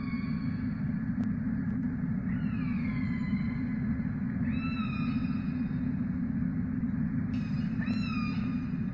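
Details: Wild orcas vocalizing while hunting herring schools in a Norwegian fjord, in 5-degree water: several rising then level harmonic calls, some with upper overtones, heard over a heavy, steady low rumble.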